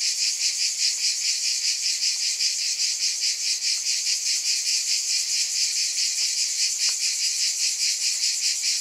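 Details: Cicadas buzzing in a dense, steady chorus, a bright hiss high in pitch that pulses gently about twice a second, with faint clicks underneath and no other animals or voices.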